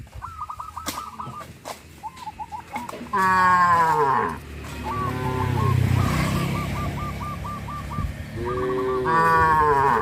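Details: Cattle driven along a rural road to and from pasture, lowing in two drawn-out, harmonic moos with falling tails, one early and one at the end, amid steady rapid chirping from fowl and a broad rumble of background noise.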